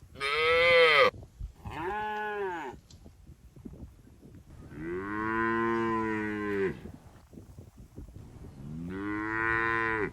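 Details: Cattle herded through a forest toward their shed, jumping happily; four harmonic moos, the first short and bright, the second brief, then two long, steady lowing calls of about two seconds each with quiet gaps between.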